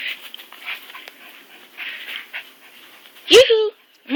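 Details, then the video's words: Lottie, an old, blind, partly deaf stray dog, lets out a short rising yelp-howl near the end after soft rustling and murmured speech, then starts another vocal burst as the recording stops. "Lottie playing, yawning, howling."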